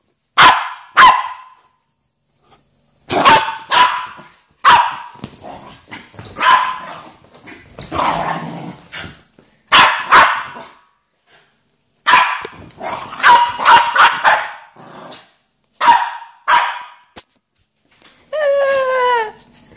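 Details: Pip the Miniature Schnauzer, a pet dog going mad, lets out loud sharp barks in quick bursts of two to four, with growly rough noises between them and a falling whine at the end.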